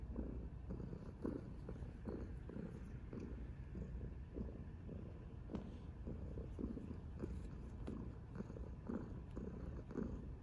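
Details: Chubby orange tabby cat purring while being cuddled; a low, steady rumbling purr pulsing roughly twice a second throughout, with faint rustling and a few soft clicks.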